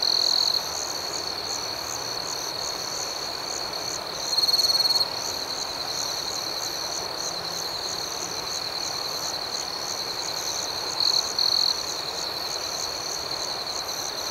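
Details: Nighttime cricket chorus with a constant shrill trill and faster, higher chirps pulsing about four times a second; brief louder, purer tones rise out of the mix at the start and twice more, near five and eleven seconds.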